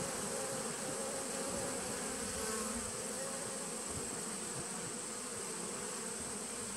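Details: Bees from a nuc colony begun in 2017, heard on 19 September 2018, give an even, rich buzzing drone with fluttering low texture and a steady thin whine overhead, unbroken from start to finish.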